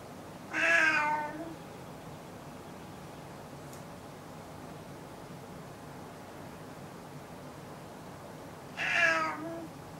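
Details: Caged old rescued male cat with FIV calling loudly and constantly indoors; two short, harsh meows roughly eight seconds apart, each falling slightly in pitch, over quiet room noise.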